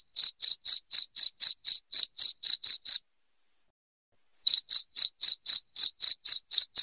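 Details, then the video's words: Cricket chirps meant to chase rats from a home: bright, piercing pulses at roughly four per second for three seconds, a pause of about one and a half seconds, then the same rapid chirping again. "SUARA JANGKRIK NYARING"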